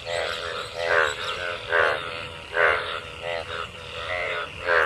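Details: Many frogs gathered in rainwater after a monsoon rain give short, rasping, harmonic croaks in a steady chorus, repeating roughly once a second, while mating.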